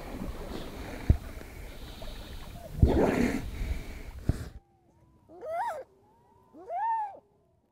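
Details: A harp seal pup lying on the ice, waiting for its mother who has dived into the sea, gives two short, cat-like wailing cries that rise and fall, after a stretch of wind noise.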